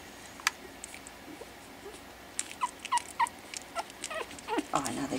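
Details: Pekingese puppies, four weeks old, playing together after dinner for the first time; a run of brief squeaky yips in quick succession mid-way, with clicking rustles of play, then a person's voice and laughter.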